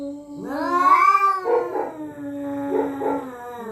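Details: Territorial cats at night threatening each other: a steady low droning moan swelling into a rising, then falling, high yowl, followed by rough throaty bursts over the continuing drone.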